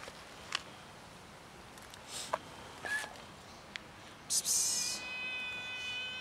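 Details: Street cats gathering for food with a new little kitten; scattered clicks and knocks, a short meow near three seconds and a high thin meow at the end.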